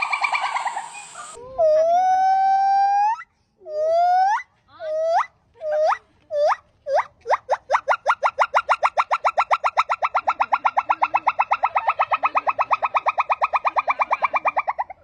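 A gibbon gives long rising whoops that quicken into a rapid, bubbling trill.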